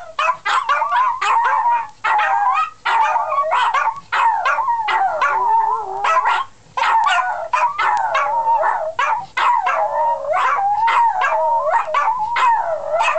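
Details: Domestic dogs howl in chorus, a long run of quavering, bending wails mixed with quick yelping notes, almost unbroken for the whole stretch.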